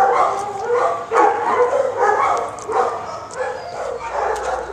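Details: Male shelter dog offered treats and praised by a woman, giving a run of deep, hoarse barks roughly every half second to one second, with soft speech between bursts.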